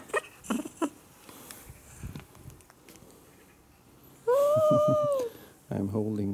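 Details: On a small high perch, Jaba the cat lets out a sustained, arching meow after scattered knocks and rustles. A person's voice follows right after.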